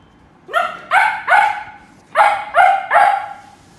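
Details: A dog barking at a squeak toy gives high, yappy barks in two quick bursts of three.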